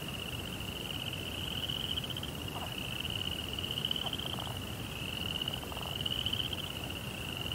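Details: High, steady pulsed trilling of crickets at night runs throughout, joined by several brief lower buzzy bursts in the second half, over a dull low-frequency background rumble.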